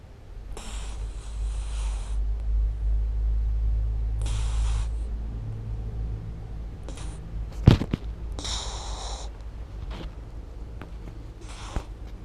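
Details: Little puppy Ganja, a female, snoozing comfortably indoors and filmed with a GoPro, gives airy, hissing snores at uneven intervals over a deep low rumble, with a sharp knock midway.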